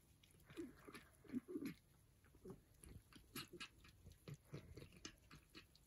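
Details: Persian cats eating breakfast make soft crunching, smacking and lapping sounds in irregular bursts.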